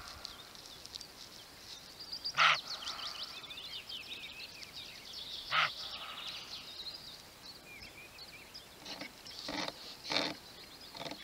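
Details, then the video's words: Roebuck barking twice, about three seconds apart: short, rough, explosive barks standing out against steady background birdsong. "Szczekający Koziołek"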